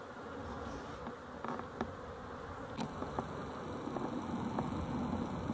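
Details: Honey bees humming on 12-11-23, a dense steady drone punctuated by faint clicks and brief taps, growing slightly louder toward the end.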